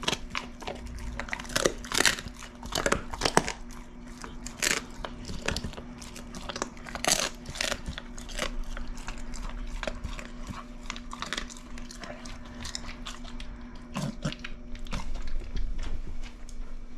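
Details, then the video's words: Dried shrimp crunched by Ace, a pit bull, close to the microphone indoors; bursts of loud crackling bites with short pauses, plus a constant low hum and faint crinkling. "Pitbull Tries Shrimp (ASMR)"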